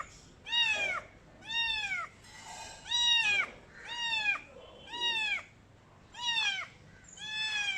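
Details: A little blue- and green-eyed Khao Manee kitten, female, meows loudly, each high, arching mew repeated about once a second.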